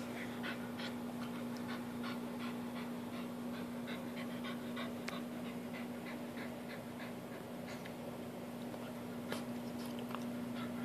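A French Bulldog pants and snorts in quick, breathy bursts, roughly three per second, over a steady low hum.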